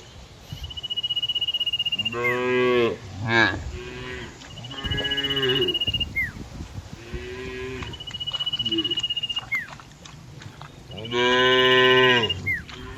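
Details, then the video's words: Cows in a herd, grazing and relaxing in lush green open fields, give several loud, drawn-out harmonic moos, some wavering, separated by short pauses, over a steady high thin tone and faint rustling outdoor background. "Funny Cow Sounds Cows Walking Through Green Fields - the sound of cows in the middle of the fields"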